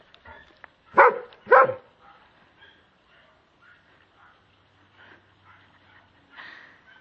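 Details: Calvin, a German Shepherd afraid of a Kong toy, gives two loud, sharp barks about half a second apart early on, followed by several seconds of near quiet with only faint soft rustling.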